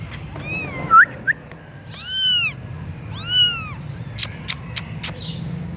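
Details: Punch-face Persian kitten in Gujranwala, Pakistan, mewing: a short squeaky chirp, then two clear arched meows about a second apart, followed by a few sharp clicks over a low background hum.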